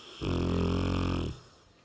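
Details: Sleeping Cane Corso called Ram, weighing 60 kg, gives one long, deep, rumbling snore lasting about a second, rich in low tones, then fades into a quiet room.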